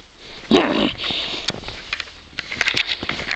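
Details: A playful Boxer named Bowser, romping in the snow and eager to keep wrestling. He gives a single abrupt bark or yelp with a brief rising tone, followed by quieter snuffling and crunching sounds.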